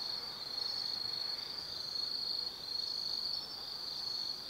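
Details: Autumn insects singing at night in the forest of Tsukimi no Mori, Kaizu, Gifu Prefecture, Japan, beside a lookout over the Nobi Plain: a steady high continuous trill with faint pulsing, many insects together, no other sounds.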